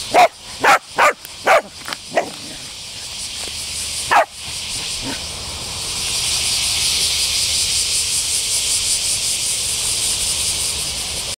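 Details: Excited dog barking at a retractable leash it mistakes for a toy: a quick burst of about six sharp barks in two seconds, a lone bark after a pause, then a steady hissing noise.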